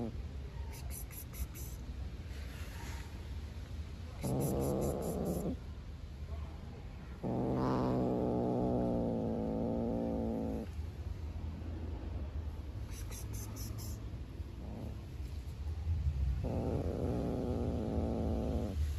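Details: Black stray cat, hungry, growls and refuses to share food with a beige cat outside; three sustained buzzy harmonic growls of one to three seconds each, with faint clicking and a constant low rumble.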